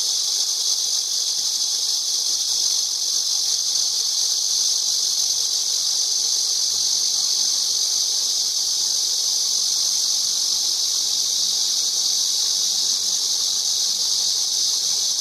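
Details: Continuous shrill cicada buzz, loud and even from start to finish, a dense high-pitched hiss without breaks and faint low hum underneath.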